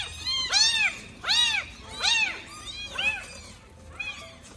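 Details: Abandoned baby street kitten, one of four rescued from a trash can, cries loudly: about five clear, high, arching meows, each rising then falling, repeated roughly every second and fading toward the end, over faint low hum.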